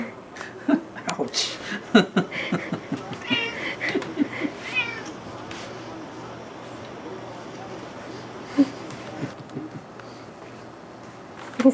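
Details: Juniper, a pet cat, meowing nonstop after smelling salmon and wanting food; several short harmonic meows in quick succession early on, then isolated cries near the end, with a person speaking in a small indoor room.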